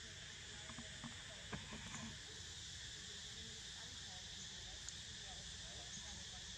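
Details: Unbroken high cicada drone, level and constant throughout, with a few faint clicks and soft voice-like sounds near the start.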